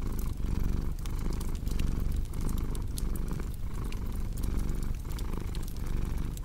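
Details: Domestic cat purring, paired with a cozy crackling fireplace: a low, steady rumble swelling and easing with each breath roughly every second, while sharp fire pops and crackles scatter over the top.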